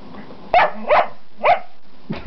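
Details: Pet dog indoors, one of two named Gwenny and Rhett, giving four short sharp barks spaced about half a second apart, the last cut off, with low room hum underneath.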